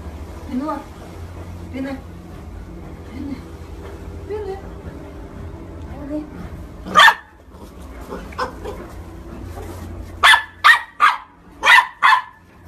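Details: Corgi barking: after quiet talk and soft sounds, sharp loud barks break out, one near the middle, then a quick run of four or five barks close together at the end.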